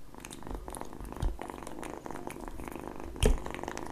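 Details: Kitten purring steadily at low pitch while lapping egg yolk, with moist tongue clicks and smacks throughout and two louder bumps partway through.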